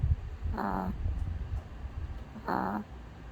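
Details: Sleeping dog snoring indoors: two short, wheezy, rasping snores about two seconds apart, each with a steady low droning tone, over a soft low rumble.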